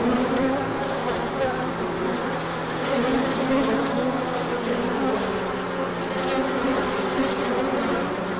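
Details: Swarm of bees making a large orientation flight on a sunny day after a colder spell, March 2024; continuous thick humming drone, layered pitches holding steady with slight swells from passing insects.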